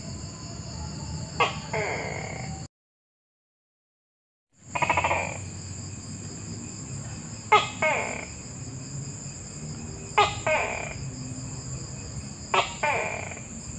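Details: A Tokay gecko gives a series of paired calls, each a sharp crack followed by a rougher, longer croak, spaced about two to three seconds apart. A short silent gap falls early on; a persistent shrill background hum runs throughout.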